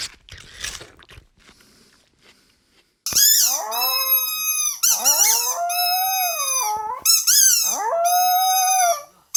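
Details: Household pet dog howling after a few seconds of faint low noise: continuous drawn-out wails with strong harmonics, pitch swooping up and down, breaking into shorter rising cries near the end.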